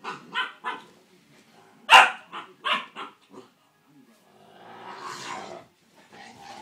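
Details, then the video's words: Clumber Spaniel puppy, described as annoying, giving short yelping barks and whines in quick bursts, then a long breathy whine rising and fading, ending in softer whimpers. "Clumber puppy"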